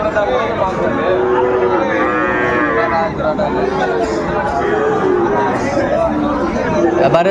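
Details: At a cattle market in Brahmanbaria, Bangladesh, on 31 May 2024, where a Sahiwal bull is bought, a rich, nasal moo swells around the two-second mark. Shorter lows from other cattle sound amid constant crowd noise and voices.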